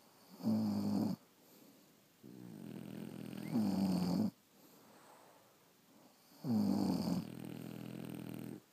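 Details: Several French Bulldogs sleeping, with deep, rasping snores that swell roughly every three seconds, each loud throaty inhalation followed by a quieter, breathy exhalation.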